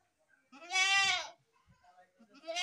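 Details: One long, wavering goat bleat, full of harmonics, with faint low knocks beneath it, followed by softer calls rising toward a second bleat at the end.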